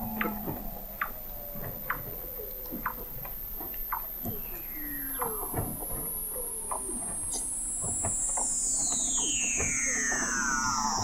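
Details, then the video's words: Under the thick sea ice of McMurdo Sound, Antarctica, Weddell seals call in November 2017, picked up by an observatory 21 m down: rapid chirps and knocks, low sliding moans, and a very high whistle descending steadily across the clip. "Song of the Antarctic Weddell Seal"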